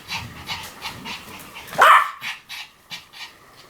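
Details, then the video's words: A single loud, high-pitched yap from a Pomeranian near the two-second mark, preceded by rapid breathy panting and followed by softer huffs. "犬の鳴き声 ポメラニアン 1000回吠え"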